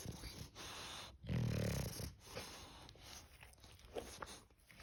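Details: English bulldog snoring: a loud, low rumbling snore swells for about half a second near the middle, framed by softer snuffling breaths and faint background noise.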